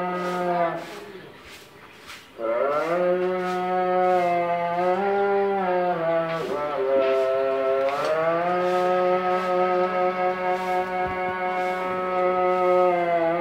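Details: Munda-breed dairy cow, about six teeth in age, in her second calving and nine months pregnant, kept on a dairy farm, gives a series of long, steady, low mooing calls broken by short pauses, with little other sound.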